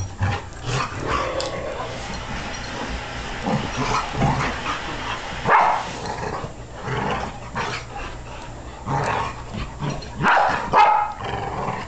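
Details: Dogs wrestling, with bursts of throaty growling and a few gruff barks and yips rising and falling in uneven waves, separated by brief lulls of scuffling and panting.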